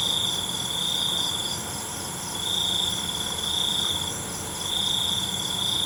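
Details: High, ringing cricket trills at night come in stretches of one to two seconds with slight dips between, over a faint wash of background noise.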